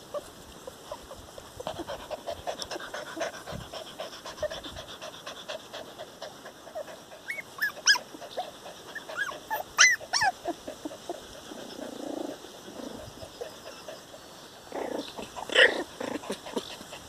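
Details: Four-week-old puppies playing outdoors give short, high, tonal yips at irregular moments, a few sharp squeaky cries standing above soft panting and rustling, with steady background hiss throughout.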